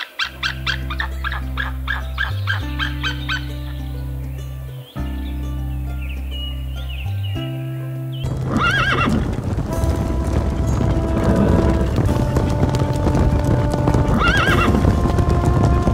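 A horse gives two shrill, quavering whinnies through a rough, noisy background after a stretch of droning music.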